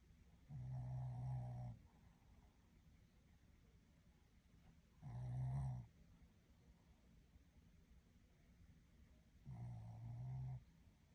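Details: Shih Tzu dog snoring while asleep, three low rumbling snores about four seconds apart, each lasting about a second, with quiet breathing between them.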